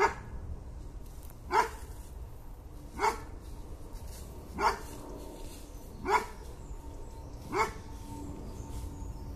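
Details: Bracco Italiano dog barking: single short barks repeated steadily about every one and a half seconds, five in all, with a quiet background hum.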